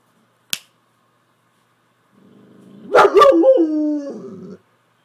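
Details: Pet Saint Bernard vocalizing at home as if trying to tell its owner something: after a sharp click and a pause, a drawn-out, wavering, moaning grumble that rises into a brief howl-like whine and then trails off.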